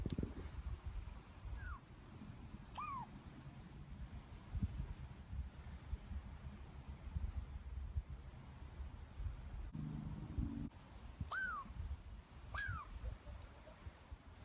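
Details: A Douglas squirrel (pine squirrel, chickaree) in the Pacific coastal region of North America gives its "pillillooeet" alarm call at the person filming: short, sharp downward-slurred whistles in pairs, over a low steady rumble.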